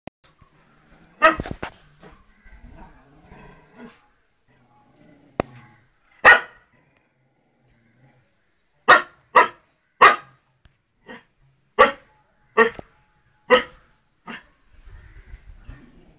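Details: Rajapalayam dog barking aggressively: a double sharp bark near the start, a lone bark at six seconds, then a fast run of loud, harsh barks spaced under a second apart, with softer scuffling noises between bursts.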